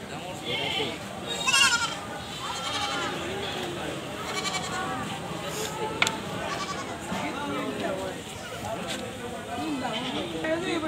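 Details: Goat screaming loudly: repeated wavering, nasal bleats with rising and falling pitch, several overlapping through the clip, over a steady noisy background with a sharp click near the middle.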